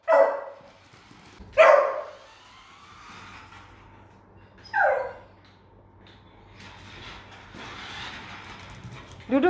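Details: Doodle, a young beagle puppy meeting a remote control car for the first time and scared of it, gives three sharp barks spaced a few seconds apart, with people talking and room noise in between.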